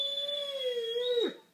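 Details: A brief, steady, tonal howl from Malia du Domaine de Kalkis, a Great Dane, sounding indoors when her owner has left, holding one pitch before dipping and breaking off at the end.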